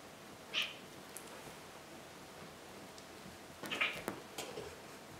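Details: Domestic cats indoors, fighting on a sofa and in a box: two short, high meow-like cries about three seconds apart, over a quiet room with light rustling.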